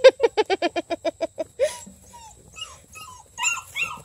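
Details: Redbone Coonhound puppies in a pack, tearing at a blue hippo toy; a quick run of about a dozen evenly spaced high yips, then scattered squeaks and whines.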